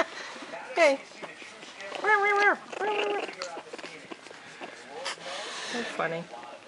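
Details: A 3-week, 2-day-old Japanese Chin puppy makes thin, tonal, tribble-like whines and squeaks in short bursts, some held level and others quivering, while a woman coos softly to it.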